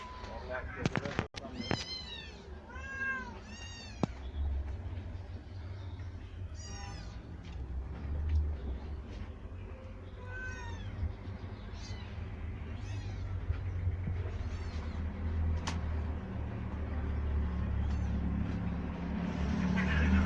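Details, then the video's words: Several kittens of street mother cats, raised indoors in a cat house in Turkey, give high harmonic meows in bursts over the first half, fading later; low rumbling background noise, a few sharp clicks and faint speech. "Yavru Kedilerin Hepsi Güvenli Yerde"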